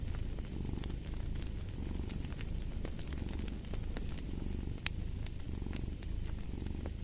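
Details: Low continuous rumble of a cat's purr, rising and falling in regular breathing cycles beneath frequent sharp crackles from a fireplace.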